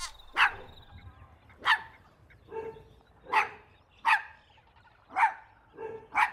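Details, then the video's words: Playful outdoor scene of puppies with their mother dog over a toy: sharp single barks about once a second, each followed by a softer, lower yip, with faint rustling between. "Funny Barking Sounds"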